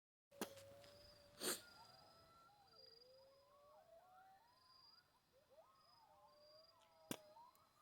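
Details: Coyotes at night on the mountain of Aquiares, a group chorus of wavering, sliding howls and yips overlapping through the middle, opened and closed by sharp knocks, with a steady high insect trill behind.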